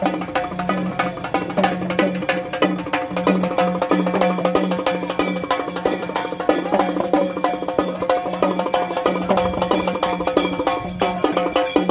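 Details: Steady traditional music with wood-block percussion and drums plays throughout, with no animal voice heard.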